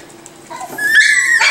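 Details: Miniature Schnauzer puppies aged five and seven weeks exploring their surroundings; after quiet murmuring, a high, drawn-out whine with rich overtones rises and holds, ending in a brief sharper cry.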